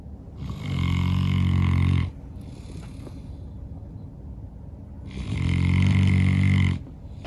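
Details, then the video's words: Two loud, deep, buzzing snores about four seconds apart from a St. Bernard called Norman, dozing after a long day of outdoor play, with a light breathy exhale between them. "Snoring dog. St. Bernard so tired after a long day"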